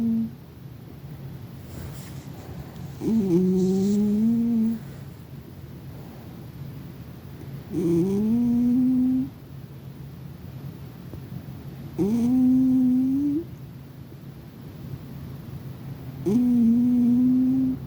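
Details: Domestic cat fast asleep, snoring: drawn-out nasal whining tones, each slightly rising and lasting about a second and a half, repeating roughly every four seconds, four in a row over a low indoor hum.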